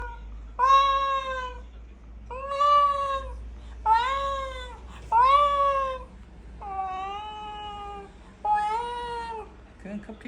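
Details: Ragdoll cat being teased indoors, giving six drawn-out harmonic meows about one second each, spaced roughly every one and a half seconds, some rising then falling, with a low steady hum beneath.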